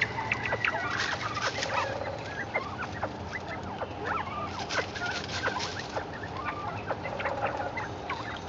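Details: Several caged northern bobwhite quail "talking" after receiving chickweed, giving a busy stream of brief chirps and short rising whistled notes from many birds at once, irregularly spaced throughout, over a constant low background hum.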